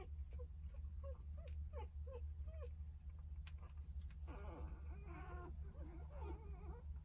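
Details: Jindo dog Sarang, a mother cradling her nine three-day-old puppies at home, returning mid-meal to nurse; a series of short, high, whining squeaks that bend up and down, then a denser run of wavering whimpers over a steady low hum.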